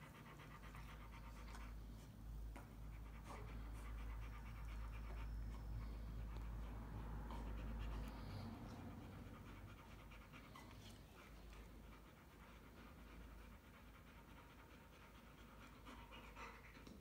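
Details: Rottweilers resting after running and playing. Soft, regular panting runs steadily about three times a second, partly masked by heavy low wind-like rumble during the first half.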